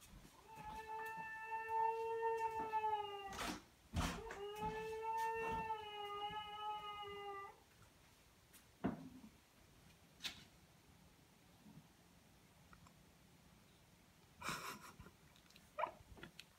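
A Basenji gives two long, steady, rich howls, each lasting about three seconds.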